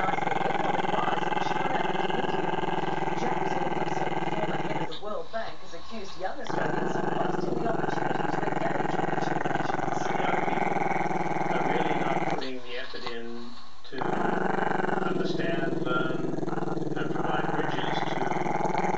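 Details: Maltese-Shih Tzu pup named Chester, camera shy, keeps up a long, deep, vibrating growl at the camera, a continuous pulsed rumble with two short breaks where people's voices come through.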